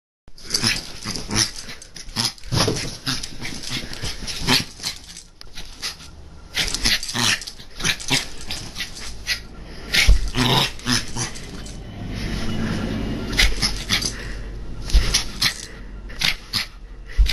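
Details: Papillon dog playing with a camera, giving a rapid run of sharp, noisy yaps and gruff growly bursts, many packed closely together over seventeen seconds, with handling and rustling noise between them.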